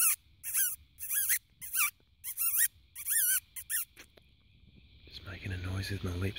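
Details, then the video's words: Fox barking at night in a spotlight, a strange noise that drew someone outside: a string of harsh, ringing barks with wavering overtones, about two per second, then a low murmur of human voices. "Barking Fox"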